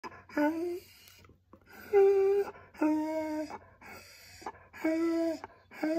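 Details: Blue, a pet husky, starts vocalising because he feels he is not getting enough attention: short, flat, mid-pitched 'woo' notes about half a second long, spaced by pauses of silence, opening a slow build-up.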